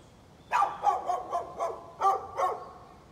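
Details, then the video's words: Neighbour's dog barking, recorded 13 November 2020: a rapid run of about seven sharp, bright barks over two seconds, some doubled, standing out clearly against a quiet background. "Neighbor's barking dog"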